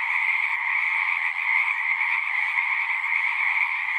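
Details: Frogs at a pasture pond, recorded on a Zoom 6, sing in a thick continuous chorus of high, buzzing trills. Volume dips only briefly once before the wall of calls resumes.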